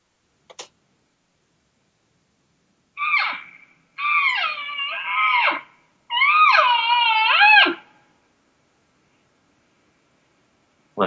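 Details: A cow elk gives long, nasal, wavering lost mews, then a sharper demanding mew, like asking "where are you", seeking a response; some calls border on frustrated whines near bugles.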